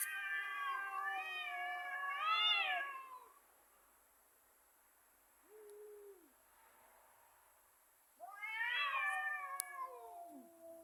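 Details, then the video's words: Two cats in a fight making angry noises: long, wavering, drawn-out yowls with rising and falling pitch, a short low moan in a quiet gap, then another loud quavering yowl that slides downward, with faint background hiss. "Two cats: Funny noises"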